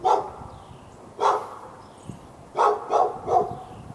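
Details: A dog behind a fence in Raleigh, North Carolina, barking for hours at the dog next door, February 15, 2012; two separate barks followed by a rapid burst of three, each bark short and mid-pitched.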